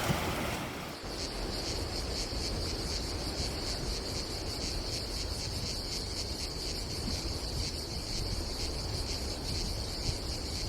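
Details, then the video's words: Cicadas buzzing on a summer day on the Adriatic coast of Croatia, their high pulsing drone carrying over strong wind and rushing sea, with a burst of rumble at the very start. "Silent ASMR vlog with nature cicadas sound"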